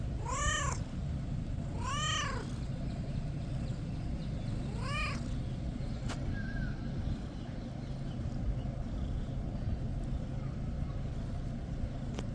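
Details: Kitten making noises while being petted: three short rising-falling meows in the first five seconds, then a faint chirp, over steady low rumbling background noise.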